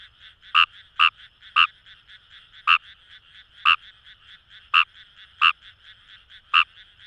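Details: Kawamura's rice frogs in Kamo River paddy fields, Itoshima, Fukuoka, Japan. Loud nasal croaks come in uneven pairs and singles, about ten in seven seconds, layered over quieter, rapid calling from other frogs nearby.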